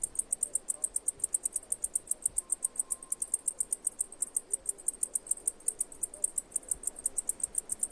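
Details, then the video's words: High, thin cicada chirps pulsing regularly about five times each second, a brief faint tone partway through, low background murmur. "1 HOUR Cicada Chirping Sounds!"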